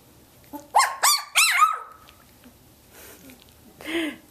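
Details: Teal, one of Athena's 17-day-old Samoyed puppies, vocal while the litter learns to play; three shrill rising squeals run together into a drawn-out whine, followed by quiet and one softer yelp.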